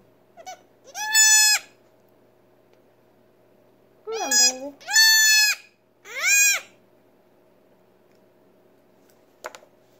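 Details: Nigerian Dwarf goat kid, a female barely six hours old who cannot yet stand or suckle, calling during colostrum syringe feeding indoors: loud, high, quavering bleats spaced a few seconds apart, with a brief lower voice just before the middle pair.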